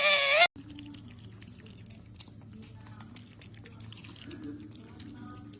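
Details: Otter named Qoo making a happy noise while eating her favourite meal: one brief, loud, high-pitched squeal rich in overtones lasting half a second, then quiet crunchy chewing clicks over a steady low hum.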